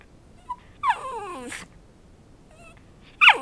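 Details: Pet dog being trained indoors to bark on cue for a piece of chicken held above him. He gives a faint yelp, then a high whine that falls in pitch, a pause, and a sudden sharp, sliding yelp-bark at the end.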